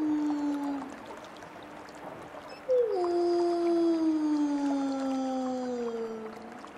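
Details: Wolves howling, a low held tone fading out, then a rich howl with clear overtones breaks in sharply and glides slowly downward, while a second voice sounds higher alongside.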